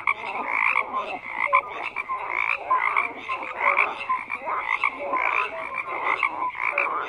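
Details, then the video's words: A thick frog chorus of croaking, rattling pulsed calls stacked over one another, steady bursts every half second or so, a band of ringing upper tones and brief lower piping notes, no other sounds. "FROGS CROAKING"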